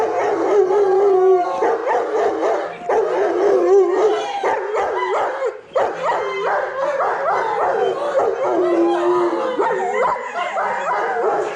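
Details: Several Alaskan bush dogs howl together after mushing, playfully singing. Overlapping wavering tones slide up and down and cross each other, with short breaks and yips woven through a continuous chorus.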